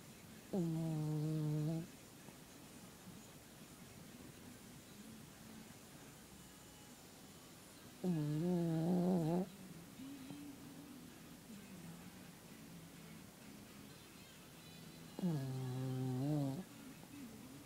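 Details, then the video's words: Female dog snoring while asleep: three low, voiced, droning snores, each lasting over a second, about seven seconds apart, with quiet breathing and faint room noise in between. "Lazy snoring dog"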